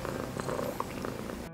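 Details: A domestic cat purrs in a soft, steady rumble with a regular pulsing beat; purring is described as possibly healing, stimulating bones and tissue while the cat rests.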